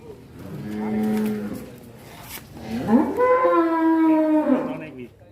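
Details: Cow rampaging after breaking loose, caught by a child, in Indonesia; a low moo followed by a long loud bellow, rich in harmonics and slightly wavering, with people talking nearby.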